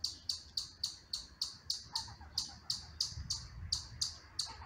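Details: Young squirrel named Chunky, filmed June 8th 2022, giving a steady run of sharp, high chirps, about three per second with some fourteen notes in all, over a faint low rumble.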